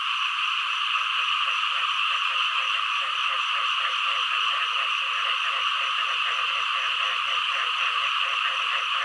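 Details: Frogs and green frogs in full chorus: a constant high buzzing trill with lower, rapid pulsed croaks repeating several times a second underneath.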